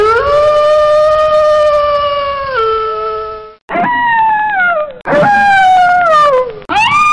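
A wolf gives long, tonal howls that hold steady, then step down and slide lower.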